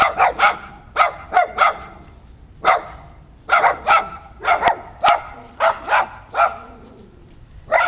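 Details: On a rooftop, dogs let out sharp barks in quick pairs and small clusters, separated by short pauses of about half a second to a second.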